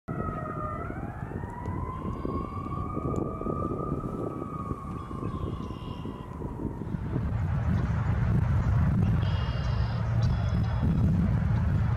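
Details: A siren wails, rising and then slowly falling over several seconds, over a steady low rumble of traffic with no animal voice.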